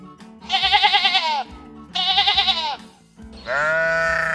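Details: Domestic sheep, docile farm animals, bleating: three long wavering bleats, the first two quavering and about a second each, the third steadier, over soft background music.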